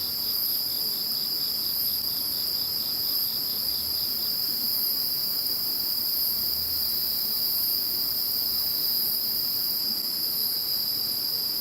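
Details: Post-typhoon insect chorus after Typhoon No. 21, an even wall of high continuous trills at several pitches; a pulsed lower trill fades out after about four seconds while the upper bands carry on.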